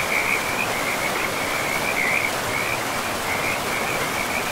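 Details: Frogs beside a river deep in a forest call in a continuous high trilling line, louder at the start and around two seconds, over a strong steady water rush.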